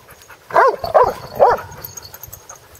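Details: A Basset Hound playing with another dog gives three short, throaty barks with a slight whining edge, about half a second apart.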